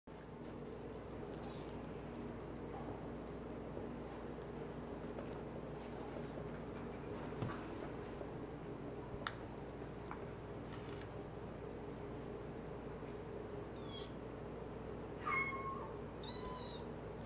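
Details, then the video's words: A three-week-old tortoiseshell foster kitten walking around its play area gives a couple of thin, high-pitched meows over a quiet, humming room. "Tiny Tortie Foster Kitten Meows & Walks Around Play Area - 3 Weeks Old"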